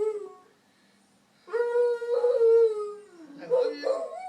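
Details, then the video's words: Puppy kept as a pet singing: a fading note, a brief silence, then a loud sustained howl with strong overtones that slowly dips, ending in short wavering yelping notes. "singing dog"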